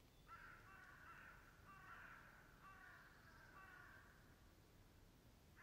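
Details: A roe deer near Morpeth, Northumberland, in August 2012 gives a series of hoarse, rasping barks, each short and harsh, roughly one a second.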